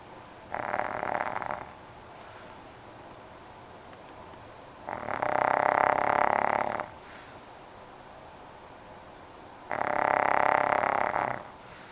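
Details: A sleeping dog snoring: three long, rough, breathy snores, each lasting one to two seconds and separated by several seconds of quiet room hiss.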